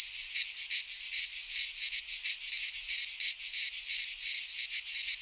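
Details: Shrill buzzing of midsummer cicadas in a Greek pine forest, a continuous high-pitched chorus beating in rapid, slightly uneven pulses throughout.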